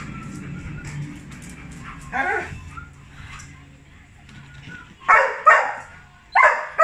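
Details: Johnson, a Labrador Retriever, thrilled at his dad's arrival: a quieter yelp early on, soft whines and background murmur, then a burst of loud barks in quick pairs near the end.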